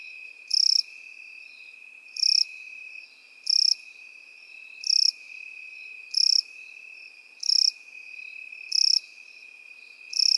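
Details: Crickets in field grass, with grasshoppers also present: eight bright, high chirp bursts arrive about every 1.3 seconds over a steady, thin, high-pitched continuous hum.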